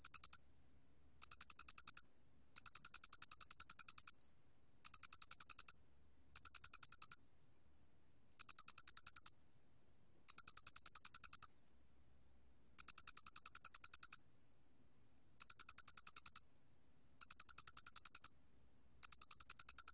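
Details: Flat-faced cricket recording from Korea's National Institute of Biological Resources, 2020: bursts of rapid, evenly spaced high chirping pulses, each burst lasting about a second, separated by short silent gaps, repeating steadily against a quiet background.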